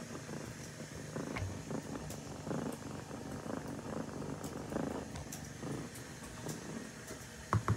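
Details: Low, even purring from the kitten Sasha as ducklings snuggle up to sleep with her, with quiet shuffling and a brief sharp tap at the end.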